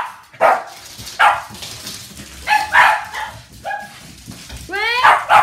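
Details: A pack of Shih Tzu at play with balloons indoors on a rainy British day; scattered single yappy barks a second or so apart, one ending in a rising whine-like yelp, with faint voices in the background.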